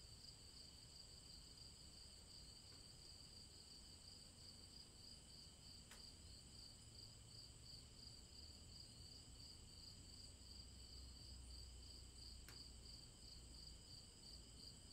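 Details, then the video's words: Summer day in the woods, cicadas filling the air with a continuous, even, high-pitched buzzing hum of stacked shrill tones that never pauses, over faint low environmental rumble and a couple of brief clicks. "SUMMER ATMOSPHERE IN THE WOODS SONG OF CICADAS"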